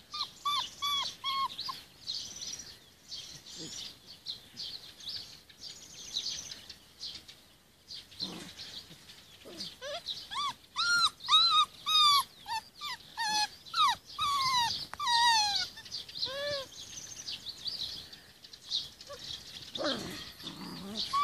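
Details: Rhodesian Ridgeback puppies, 46 days old, in a garden with their mother; sparse high whimpers early, then a busier run of rising and falling whines and yelps from several pups near the middle, with faint background noise.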